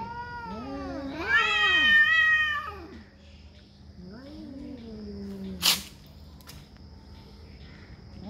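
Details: Cats fighting over territory: a loud, rising and falling harmonic wail swells and holds, then drops into a lower drawn-out moan. A sharp click breaks in near the end, with a faint steady hum behind.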